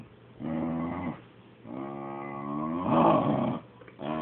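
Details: Dog jealous as its owners fuss over the cat, making strange talking noises: two drawn-out, moaning vocalizations, the second longer and swelling louder toward its end, then a short new groan beginning.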